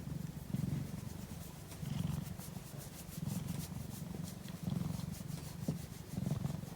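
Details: Purring from a cat asleep at midday, deep and rumbling, rising in louder surges about every second and a half as it breathes in and out, with no other sounds.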